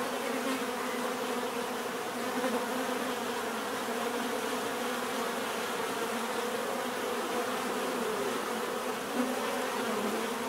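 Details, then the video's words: A mass of bees gives a constant, low droning buzz, many wingbeats blending into one thick hum with faint shifting tones, no pauses and no other sounds. "bees therapy relaxing natural buzzing sound"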